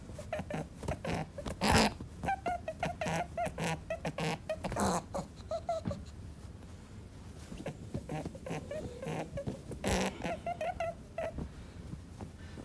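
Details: Angry rabbit giving a rapid, irregular run of short, harsh grunting snorts, roughly a hundred bursts a minute, some carrying brief squeaky tonal edges, with a louder snort near the start and another near the end.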